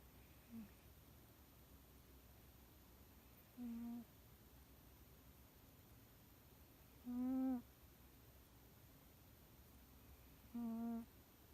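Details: Yukio, a pet domestic cat, sleeping peacefully at home and snoring softly: three faint, short, tonal nasal snores, each under half a second, about every three and a half seconds, with quiet room hiss between.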